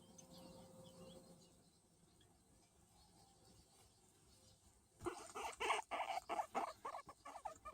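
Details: Luis, a hairless skinny guinea pig, being patted: after about five seconds of quiet, a burst of rapid, rhythmic squeaky calls begins, with several notes each second until the end.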